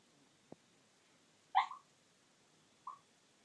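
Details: Sleeping Chihuahua, possibly sleep-talking or snoring: one short squeaky whimper, then a fainter matching squeak over a second later, preceded by a soft tick in a very quiet room.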